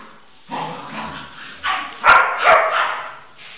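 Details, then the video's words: Jana, a female dog raised at home, reacting while playing gently with a Pitbull puppy that barks and jumps at her; short yips and barks in bursts with a low whimpering tone between them, and a brief voice at the start. "PERRA JANA Y LA REACCIÓN ANTE CACHORRITO PITBULL"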